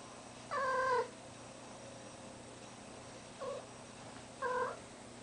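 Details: Domestic cat in heat calling indoors near a deaf ferret: three drawn-out, nasal, harmonic wails, a long falling one, then two shorter cries, over a steady low room hum.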